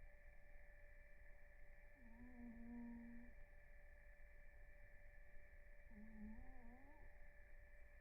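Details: Blue, a house cat, snores while in REM sleep. Two drawn-out, humming whistle-snores come about four seconds apart, the first level and long, the second shorter and wavering. A constant background hum fills the room.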